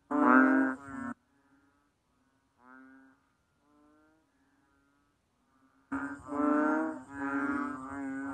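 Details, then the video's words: Banded bullfrog calling: a loud, low nasal droning note with rich harmonics, then near silence with a few faint notes, and the loud drone returning in long swelling calls. "How the Banded Bullfrog Cry?"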